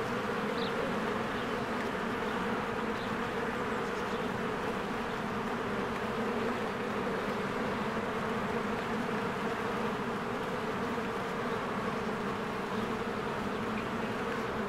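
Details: Honeybees stream in and out of a cozy hive in springtime, their massed wings making an even, droning hum that never pauses. Scattered faint bird chirps rise above it now and then. Recorded with a Canon EOS R.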